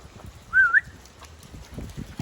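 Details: A pet Boxer named Samson gives a single brief, high, whistle-like whine that dips and then rises again. Soft shuffling and rustling continue underneath.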